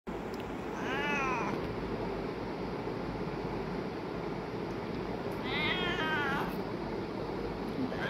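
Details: A cat meowing: two drawn-out, wavering meows near the start and again around six seconds, over a steady loud background hum.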